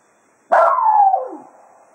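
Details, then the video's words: At Quail Roost after foxhunting, Cato the Jack Russell Terrier gives the hounds a farewell serenade: one strong yelping howl held level, then dropping in pitch and tailing away. "Cato Serenading the Hounds after a Day of Hunting at Quail Roost"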